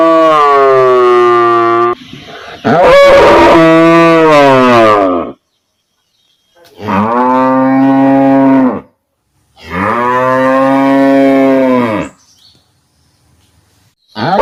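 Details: Village cow mooing, real-life recording: three long, loud, deep moos, each about two to three seconds, separated by short silences, with a final moo starting at the end; a brief harsh burst opens the second call.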